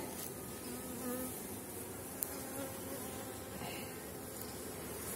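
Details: A strong honey bee colony on 4.9 mm cell comb hums during a late-season hive inspection as a frame of honey is handled; a continuous droning buzz of many bees with faint tonal whines and a single sharp click midway.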